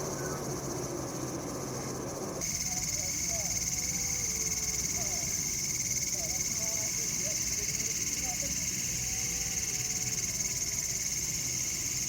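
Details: A cicada in a bamboo forest in India, October 2019, calling on a cool evening or at night, gives a steady, shrill, high-pitched drone without a break.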